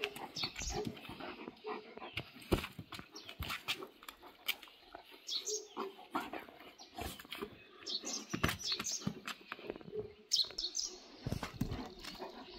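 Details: Dogs, a Gaddi Himalayan sheep dog set against a Tibetan Mastiff, give short harsh barks and growling bursts scattered through the clip, mixed with clattering noises and people talking.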